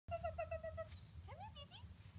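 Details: Seven-week-old Schnauzer puppies just back from a vet check-up: a run of six short, even, high whine notes, then a rising whimper and a few thinner squeaks, over a low steady hum.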